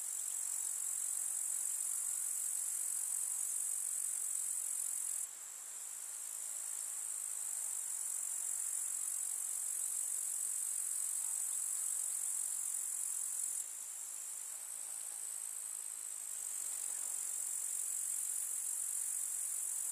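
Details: Chorus of grasshoppers in a rural summer meadow with wildflowers: a constant sizzling high buzz throughout, with sudden shifts in loudness around five and fourteen seconds, and nothing else audible.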